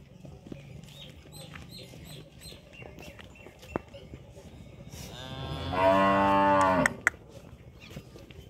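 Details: A Sahiwal or Jersey dairy cow on a farm lets out one loud, drawn-out moo lasting about two seconds. The moo is rich in harmonics, swells, then stops abruptly. Before it, a quiet background holds faint clicks and a brief voice.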